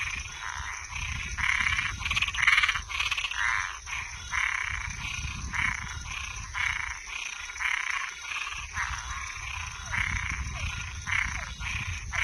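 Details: At night, frogs and tree frogs give grating, pulsed croaks at a steady pace of about one per second, partly masked by a low rumbling noise, with a few brief falling notes near the end.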